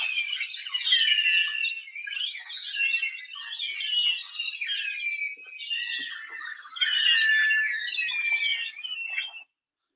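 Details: Long-finned pilot whales approaching killer whales off Iceland, recorded underwater, fill the water with a dense chorus of squealing, rising and falling whistles.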